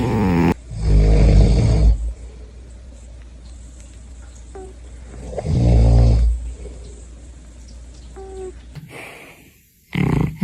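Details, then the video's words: Sleeping cat snoring like a human: two loud, deep, rumbling snores roughly four seconds apart, each lasting over a second, with quiet breathing in between and a brief louder noise at the very end. "A cat that snores like a human"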